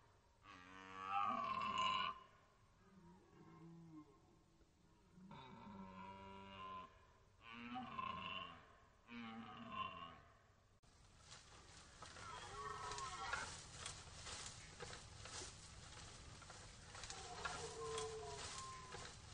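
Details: Rutting red deer at the Orzysz military training ground, Poland, archival: several hoarse, throaty roars in separate bursts. Steady broadband rushing noise takes over in the second half.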